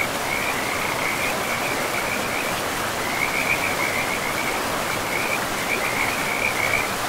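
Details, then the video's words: Frogs near a forest river give high, buzzing trills in long runs with short gaps between them, over the even background wash of flowing water. "River and Frogs sleep sounds"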